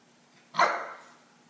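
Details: Single short yappy bark from an eight-week-old Akita puppy aimed at a cat perched on its crate, abrupt onset and quickly fading tail, quiet room otherwise.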